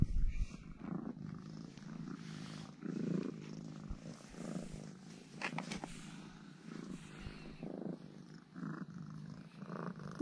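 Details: Domestic cat purring while acting cuddly and affectionate indoors after being fed two sausages by its owner; a steady low rumbling purr runs through the whole stretch, with soft rustling and a person's quiet voice nearby.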